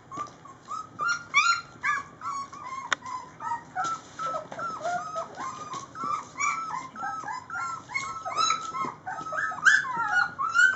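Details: Several three-week-old puppies at feeding time, making a busy chorus of high, squeaky whimpers and yips that rise and fall in pitch and overlap continuously, with occasional soft clicks.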